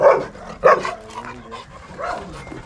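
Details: Male Bakharwal (Gaddi) pup aged six months, two loud clipped barks close together, then fainter yelping sounds trailing off over the next two seconds.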